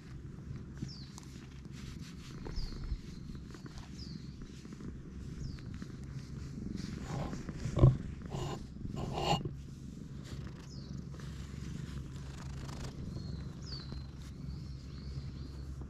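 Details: Stray cat, at first wary, growing affectionate while its head is stroked; steady low rumbling purr runs throughout, with brief thumps near the middle and thin descending bird chirps overhead.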